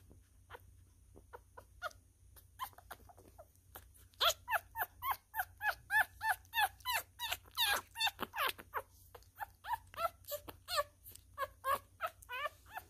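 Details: Hand-fed newborn miniature schnauzer male, a messy eater, gives rapid strings of squeaky whimpers; sparse faint squeaks at first, then loud, fast, tightly packed squeals from about four seconds on, tapering to uneven bursts, with a low background hum.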